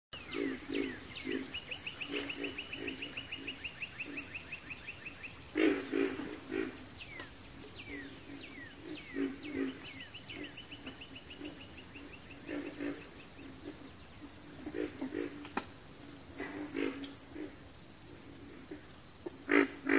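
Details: Frog chorus from a backwater: low, gruff grunting notes repeated in quick bursts by several callers, over a steady, shrill insect trill that runs throughout.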